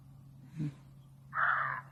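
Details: A startled deer near home in the Korat area, as it grows dark, gives one very loud, harsh, rasping bark lasting about half a second.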